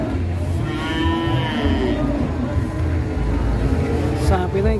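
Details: Fat cattle raging while being loaded onto a truck in Indonesia: a drawn-out, harmonic bellow with a steady pitch for about two seconds, over a low rumbling engine and background voices.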